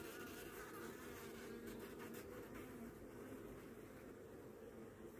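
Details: Western honey bees buzzing around a warm brood frame lifted from the hive during a November 2024 inspection for Varroa and Tropilaelaps mites; a steady, dense humming drone, strongest in the low-middle range, continuing unbroken throughout.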